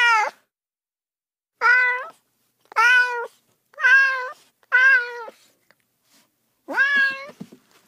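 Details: Domestic cat meowing six times in eight seconds: clear, nasal, harmonic-rich meows, each under a second, with flat or gently wavering pitch and a slightly longer, bending final call, separated by near silence with no other sounds.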